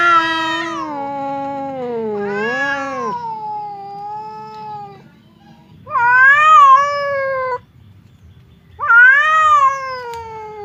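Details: House cat facing a rival cat across a divider, trading drawn-out moaning yowls: wavering wails that dip and swell, in bursts about every three seconds with short silences between.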